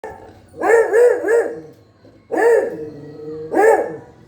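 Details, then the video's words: Pet dog barking: a quick run of three harmonic barks, then two more single barks after short pauses, each bark sounding clear and mid-pitched against a quiet background. "barking 🐺 sound of our kutty 🐶🐕"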